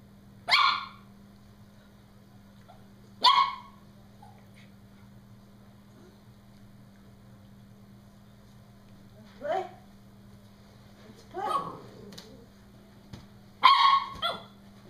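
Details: Norfolk Terrier shrieking while playing with a balloon: sharp, high, harsh yelps in short bursts, two early, then a gap, then several more near the end, over a steady low electrical hum.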